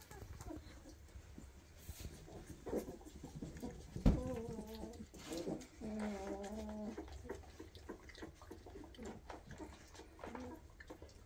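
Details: Weimaraner puppies, 2.5 weeks old, eyes newly open, running after their mother asking to nurse indoors; several wavering, harmonic whines rise and fall in a cluster midway, over a low room hum and faint shuffling.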